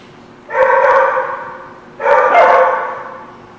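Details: Dog at The Barking Lot, recorded 6/9/17: two loud, harmonic barks about one and a half seconds apart, each lasting roughly half a second, over a quiet background.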